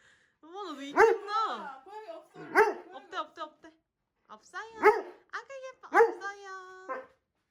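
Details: Dobermann reacting to a loved one visiting home after a year; excited warbling whines and yelping cries in bursts, some sharp and bark-like, with speech mixed in indoors.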